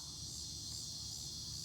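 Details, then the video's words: Cicadas in Broken Arrow, Oklahoma, August 2020, around 8 pm before sunset: a continuous high hissing buzz over a low rumble of background noise. "Cicada Chorus"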